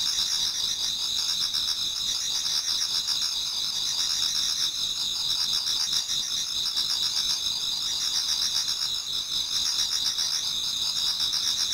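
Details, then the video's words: Toward dawn in autumn, insects in a Japanese garden keep up a constant high ringing chorus; overlapping trills pulse rapidly while softer chirps recur at a slower rhythm beneath. "Autumn Insects voice Towards dawn"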